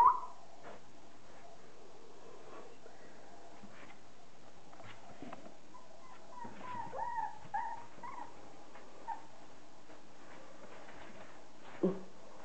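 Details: Thirty-day-old Border Collie puppies from the litter of Kim and Andy, heard indoors giving soft, scattered whimpers and short high whines, mostly between seven and eight seconds, with a sharper yip near the end over a quiet room hush.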